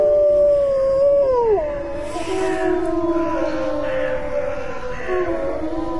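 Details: Several gray wolves howl together in a snowstorm, long drawn-out tones sliding slowly downward over a rushing wind.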